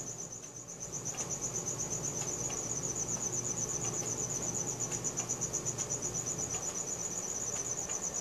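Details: At night a cricket keeps up a fast, regular high-pitched chirping, roughly four pulses a second, swelling slightly in the first second; recorded on a Samsung Galaxy S4 with faint low hum beneath.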